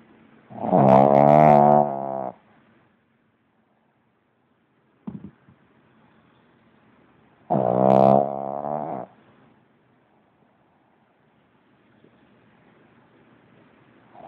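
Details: Pug named Lenon snoring loudly while asleep: two drawn-out, rasping harmonic snores, each about a second and a half and roughly six to seven seconds apart, with a short click between and near-silence otherwise.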